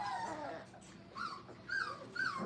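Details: Five-week-old Brittany puppies at a training kennel, indoors, giving three short, high whimpering yips, each a brief rising-then-falling squeak, spaced about half a second apart over a soft background murmur.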